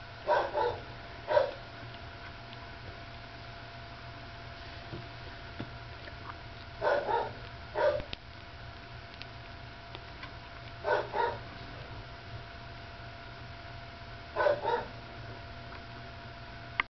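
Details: Nursing puppy with Lacey, sleepy and occasionally vocal: paired short squeaky whimpers recur about every three to four seconds, four groups in all, against a constant low hum with scattered small clicks.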